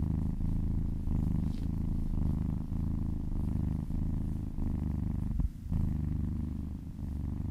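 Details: Low, rolling purr of a kitten enjoying a massage, steady and close, interrupted once by a short rustle before the rumble resumes.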